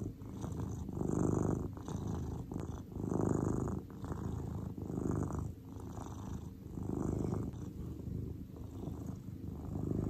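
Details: Grey pet cat named Cordelia in a calm, relaxed state, giving a continuous deep purr, low buzzing rumble rising and falling in breath-paced waves about two seconds apart; quiet background otherwise.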